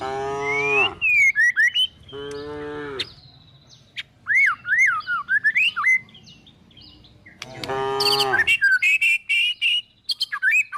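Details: Three short, rough moos from tame village cows and calves herded toward forest to find food, separated by a long stretch of lively whistled and chirping birdsong.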